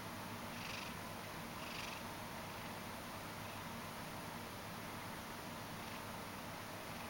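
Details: Half-asleep Ragdoll cat named Mojio kneading indoors, giving a continuous low, even purr, with two soft breathy puffs near the start and one later.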